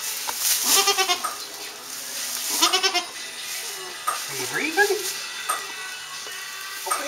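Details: Newborn Saanen/Alpine kid goats just after birth on a hobby farm in May, giving high harmonic bleats in short bursts, with people talking and urging a kid to cry, plus handling noise.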